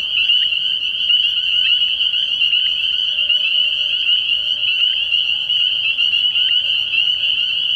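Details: Spring peepers calling en masse from a frog pond at night early in the year: a dense, unbroken high shrill chorus of overlapping peeps, steady in loudness throughout.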